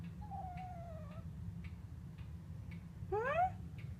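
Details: House cat that rarely vocalises, whining persistently indoors in the morning: a long, level, slightly falling whine, a pause with faint clicks, then a short rising-falling meow rich in overtones.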